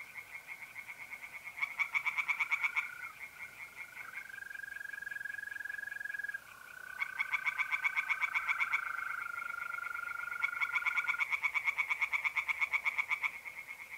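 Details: Tree frogs singing in a pond on an April night in north-east Italy: loud bursts of rapid, rattling pulses repeated in bouts, over a steady chorus hum, with long, even, high trills of mole crickets between bouts.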